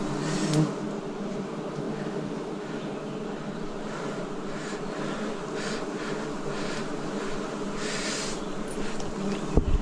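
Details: Many wild bees droning at a forest honey harvest, 2026; a low, even buzzing fills the whole stretch, with a few faint rustling bursts and a sharp knock at the very end.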